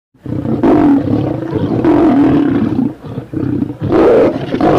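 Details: Lion giving loud, rough roars in three heavy bursts, each with a deep, throaty tone and brief pauses between them.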